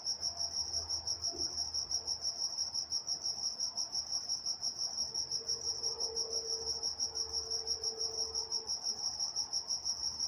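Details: Crickets calling at night in Walnut, California, a rapid regular high trill of pulses, joined midway by a brief faint lower tone and soft low background hum.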